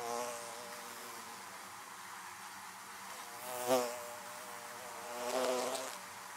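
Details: Many western honey bees buzzing around beehives hum together in a steady, low droning buzz, with a louder bee passing close now and then.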